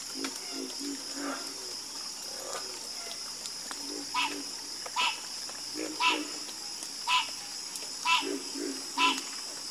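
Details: A frog chorus builds from scattered low, soft croaks to louder, bright croaks repeating about once a second. A continuous shrill background hum is present.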